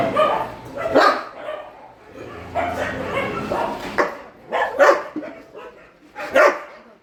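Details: Excited barks and yips from shelter dogs at night feeding come in scattered bursts, some deep and some high, with quieter rustling in between.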